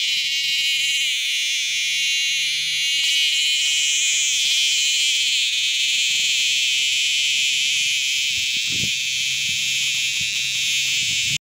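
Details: Caught dog-day cicada, buzzing continuously and loudly in a dense, high-pitched drone with a slightly wavering texture. Faint low hum and soft handling noise sit underneath.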